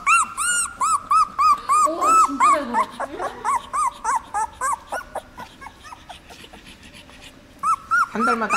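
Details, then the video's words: Seventeen-day-old puppies brought into a dog café for the first time give a run of high, tonal whimpers with repeated arched squeals, about three per second, some overlapping; faint voices and soft background sound between calls. "생후 17일된 강아지들 애견카페에 투입"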